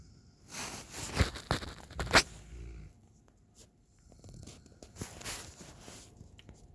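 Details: Raiden, a 9-month-old Alaskan Malamute, snoring while chilling on a back patio; rough, breathy snores come in two long broadband bursts roughly a second apart, with a couple of sharp clicks early on.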